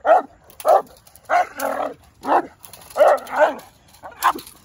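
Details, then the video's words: A Presa Canario being trained to build defense drive gives heavy, rasping barks, single and doubled, spaced roughly every half second to a second, with clear gaps between. "Building defense drive (presa canario)"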